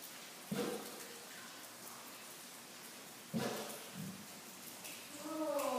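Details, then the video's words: A Southern California Bloodhound that has seen rain only a few times gives two deep, gruff barks at the rain, a few seconds apart, over a steady rain hiss. "Bloodhound bark"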